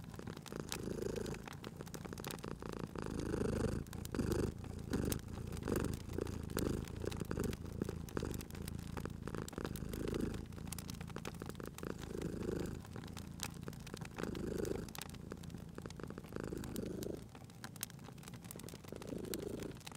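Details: Cat purring continuously at a fireplace in cozy spring ambience: a low, throbbing purr in repeated breathing pulses, briefly easing near the end, mixed with frequent crackles and pops from the fire.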